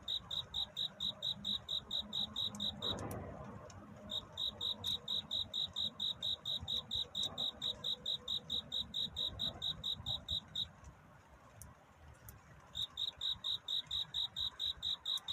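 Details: Courting cricket at night, dawn scene: rapid high chirp pulses in runs, broken by a short pause near three seconds and a longer gap around eleven seconds before resuming, with a soft broadband rustle between.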